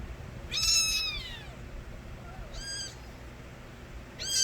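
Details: Stray kittens calling loudly, three shrill drawn-out meows, the first long and sliding downward, then shorter cries at about three and four and a half seconds.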